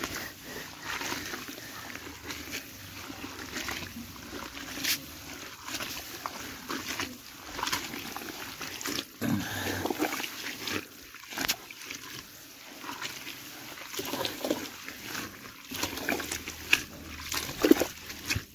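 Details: Pigs on a farm in Assam, India, giving repeated short grunts and snorts over several seconds, mixed with splashing and trickling water and occasional human voices.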